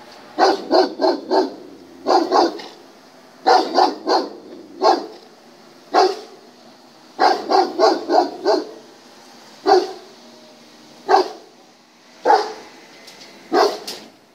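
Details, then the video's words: During a test, a German Shepherd barks in clusters of two to four quick barks alternating with single barks, keeping a steady insistent pace throughout against a faint constant hum. "Тест №39. Немецкая овчарка."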